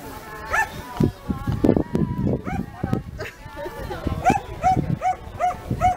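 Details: A 13-month-old Komondor at a Hungarian herding-dog working trial in Pomáz Magyar-vár, Hungary, on 3 October 2015: one short arched bark early, then a quick series of five barks about a third of a second apart, over people talking and thumps.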